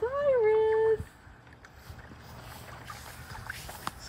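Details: Five-week-old Labrador Retriever puppies, six in the litter, in the baby pool where they were born, now filled with water for play. One sustained, slightly rising then level whine lasts about a second, followed by quiet with faint background noise.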